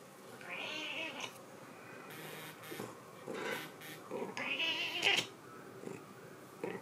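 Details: A 13-year-old cat scared off by a keyboard gives drawn-out, wavering meows, two long cries near the start and middle, amid indoor clicks, thumps and faint speech in a small room.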